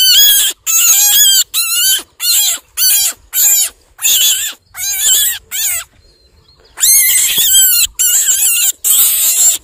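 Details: Shrill screams of a baby rabbit caught and fearing for its life, a series of loud high quavering squeals each under a second with short pauses, then a silent stretch before longer bursts resume.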